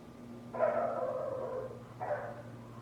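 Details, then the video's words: Next-door neighbour's dog heard as one long, drawn-out harsh bark lasting over a second, followed by a shorter, weaker bark, over a constant low mechanical hum. "Neighbor's annoying dog noise"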